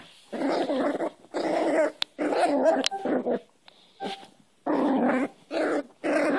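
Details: Cairn terrier puppy growling while play-fighting with a person's hand, rough rasping growls in bursts of about half a second to a second, separated by short pauses, with a few faint whines.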